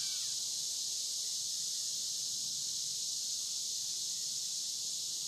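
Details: A high, unbroken sheet of insect buzzing, taken as cicadas, on the Licking River in Morning View during a dusk-to-dawn recording. It is even in loudness throughout, with a faint low rumble beneath.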